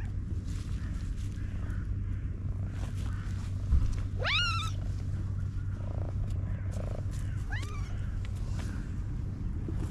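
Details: Black domestic cat, described as content and purring, gives one clear upswept then falling meow followed later by a fainter short meow, above a continuous low rumble.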